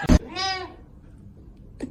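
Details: Kitten giving a single short, tonal meow after a sharp knock, with faint background noise and a soft thud at the end.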